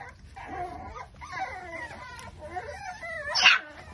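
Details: A litter of five-week-old Micro Bully puppies giving overlapping wavering whines and whimpers, with a short sharper squeal near the end.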